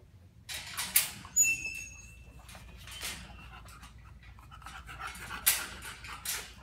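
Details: Violet, a female bulldog, being shaped to step onto a platform, pants in quick soft breathy bursts between sharp clicks, with a brief high squeak near the start.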